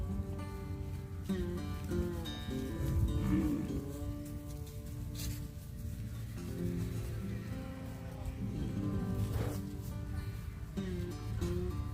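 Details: Music plays throughout with steady low bass and sustained tones, with no clear animal voice.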